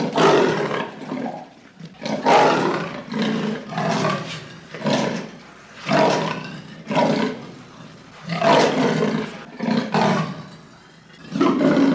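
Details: Wild leopard's roaring: a steady sawing sequence of coarse, rasping grunts, about one per second, rising and falling in loudness, with brief breaks between groups of rasps.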